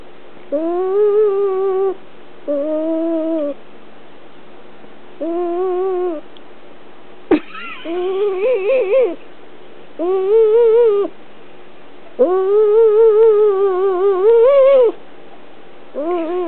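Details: Domestic cat, a female, complaining while being held indoors; steady run of drawn-out, slightly quavering whines, some longer and wobbling in pitch, broken by a sharp knock and handling rustle near the middle.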